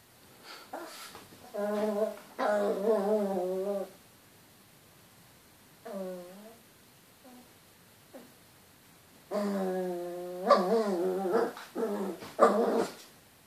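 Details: Chihuahua indoors reacting to its reflection in a mirror, producing wavering, nasal whines and grumbling vocal bursts of one to two seconds, separated by quiet pauses, in a small room.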